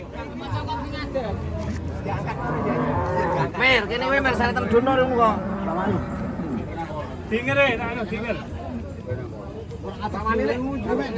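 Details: Skinny cattle reduced to skin and bone moo repeatedly amid talking people and outdoor bustle, with low sustained lowing broken by voices.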